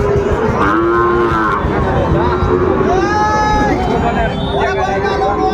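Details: Sahiwal bull calves bought by a Bagerhat farmer in Bangladesh, 14 November 2024: several long, harmonic moos rise and fall in turn amid steady crowd murmur and nearby talk.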